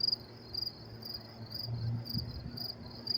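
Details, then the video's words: Crickets calling on a cool May night around 10:30 p.m. at Willets Point, New York City; thin, high pulsed chirps recur every half second or so beneath a faint low hum and rumble. "sound of crickets chirping"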